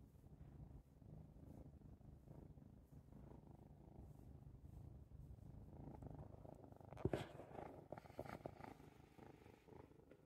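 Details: Happy domestic cat purring as it watches birds out of a window. The deep, steady purr runs throughout, and brief rustling and clattering noises join in toward the end.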